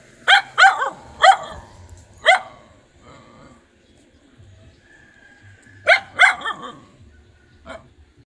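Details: Nursing dog with puppies; four sharp, bright barks in quick succession open the recording, a quiet stretch follows, then another burst of two or three barks and a final faint yip.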